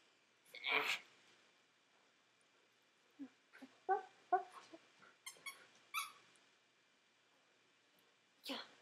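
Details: Juno, a dog of almost 12, briefly acting like a puppy indoors; a sharp burst of breath, then short grunting, tonal yips and snorts in quick clusters, with a human voice nearby.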